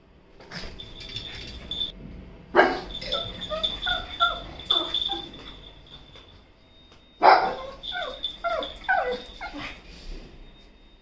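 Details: Toto, a pet pug in India, barks indoors in short bursts with whiny yips between them, several loud barks clustered near the start and again near the end, a steady faint tone running underneath.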